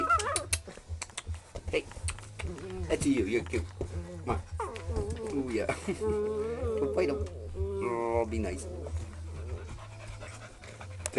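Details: Playful four-month-old English Springer Spaniel puppies on a porch, three males and a female, toying with a pop bottle; repeated wavering whines and squeaky yelps mixed with panting and rustling, a man talking throughout over a low background hum.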